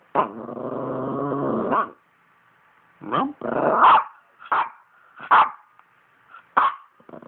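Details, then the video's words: Poodle 'talking' indoors: a drawn-out, wavering, harmonic groan lasting nearly two seconds, then a string of short sharp yelping bursts, some quick and clipped, spread over the following five seconds. "Poodle Talk"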